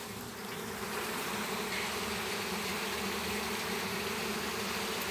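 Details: Western honey bees, a flying swarm captured in a home backyard in Campo Grande, Brazil; continuous droning buzz of many bees rising in loudness after the first second, with no clear speech.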